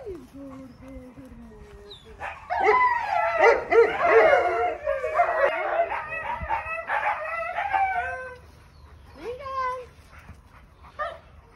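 An Alaskan Malamute gives long, wavering, talkative howls that rise and fall in pitch.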